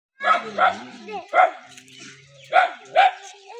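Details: Dog barking in a village in the Saraiki region: five short, harmonic barks in two clusters over about three seconds, with a low steady hum underneath.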